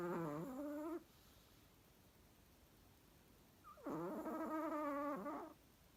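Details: A sleeping Chihuahua gives whiny, harmonic snores: one tails off in the first second, and after a quiet pause another rises in, wavers, and lasts nearly two seconds.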